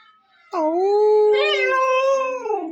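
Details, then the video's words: Pet dog, tied up for a while near a rescue cage and refusing food, giving one sustained, wavering, harmonic howl-like 'talking' moan lasting over two seconds, rising slightly at its end. "ചിക്കു മോൻ സംസാരിക്കാൻ പഠിച്ചുട്ടോ"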